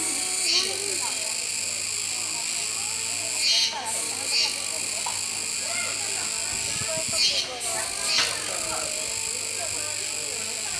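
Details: Kuroiwa cicadas singing at a zoo park in Okinawa, 16 October 2021, as a capybara keeps eating: a continuous shrill, buzzy drone, surging in paired pulses about every four seconds, with faint human voices in the background.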